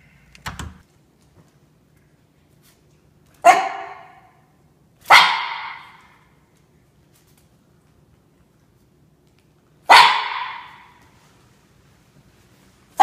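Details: Norfolk Terrier named Ernie, a young dog under a year old, confronting Shania the cat indoors; a soft opening sound, then four sharp, loud barks spaced irregularly with long silent gaps between them.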